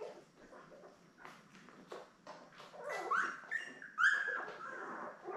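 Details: Newborn Labrador Retriever puppies, a litter of seven born May 24, 2021, with their mother Belle on an indoor puppy cam: thin, rising whines and squeaks, a few longer wavering cries in the middle, over soft rustling and shuffling.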